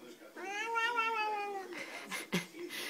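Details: Bengal cat in a small room uttering a prolonged, clear meow that swells and gently sags over more than a second, then quiet handling noises and a sharp tap.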